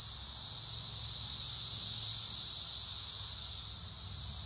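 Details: Loud sustained whine from Brood X periodical cicadas gathered in a pear tree behind a house, said to reach 113 decibels; the piercing chorus holds steady, peaking briefly in the middle.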